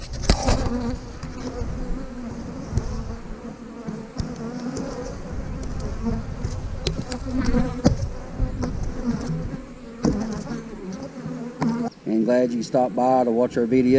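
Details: A dense, low droning buzz of honey bees at an eight-frame hive, scattered clicks and bumps of handling throughout, then a man's voice speaking over the hum near the end.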